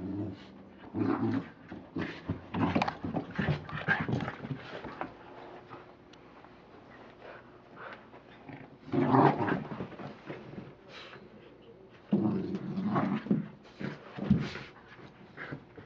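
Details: An American Pit Bull Terrier called Rocky, playing with his toy indoors, makes repeated grumbling growls and panting huffs, with louder snarling bursts around the middle and toward the end, and quiet rustling in the gaps.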